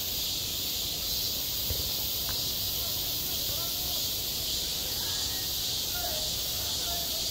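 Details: Cicadas droning in high summer at a school playground, self-recorded: a constant, piercing, hissy buzz with faint scattered voices and an occasional soft tap in the background.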